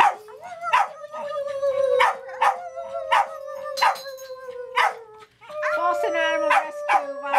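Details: Dogs howling at a farm: a long, steady, slightly wavering tone held for several seconds, broken by repeated short sharp bursts about every two-thirds of a second, then a second drawn-out howl rising in again after a brief pause.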